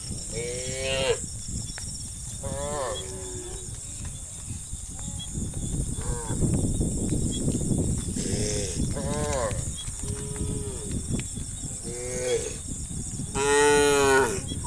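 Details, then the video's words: On a peaceful evening, dozens of tame cattle file steadily toward the livestock pen, lowing repeatedly with short arched moos every second or two, while trampling hooves rumble low and a high steady tone persists. "suara sapi moo"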